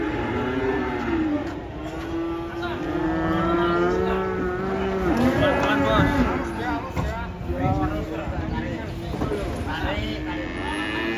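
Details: Cattle being unloaded from a truck give long, drawn-out moos with steady low harmonic tones, several overlapping or in succession, over nervous human voices and vehicle rumble.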